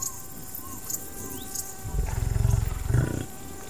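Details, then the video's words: Wild buffalo in savannah habitat giving a deep, rumbling grunt that pulses for about a second, then a shorter second grunt, over a soft background of high insect buzzing and faint bird chirps. "The sounds of buffalo in the wild"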